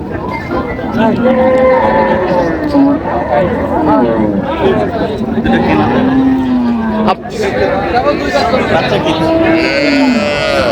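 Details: Improved-breed dairy cows and calves at Raniganj livestock market, Dinajpur, on 27 July 2025: low, drawn-out moos with gently falling pitch sound through busy crowd chatter and men bargaining loudly nearby.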